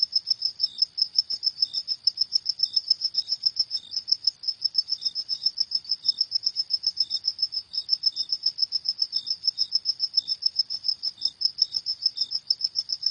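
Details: Cricket calling after dark with an unbroken stream of sharp, high chirps at a fast even pace, accompanied by occasional quieter lower-pitched chirps.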